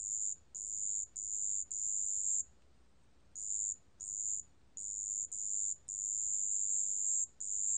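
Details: Marsh bell cricket, recorded for the National Institute of Biological Resources in 2020: very high, pure ringing trills in bursts of half a second to about a second and a half, separated by short silences, with one longer pause midway and a quiet background.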